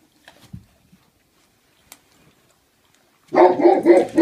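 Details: Libre, a 3-month-old Great Pyrenees puppy at home, filmed 25 February 2015 while eating dry kibble: a few faint taps, then a sudden loud, rough burst of barking that fills the final second.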